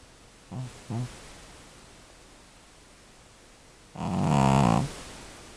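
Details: Elderly cat Devlin, an old female estimated at more than 12 years, snoring rather loudly: two short soft grunts, then after a pause one long, low, rasping snore of nearly a second in a quiet room.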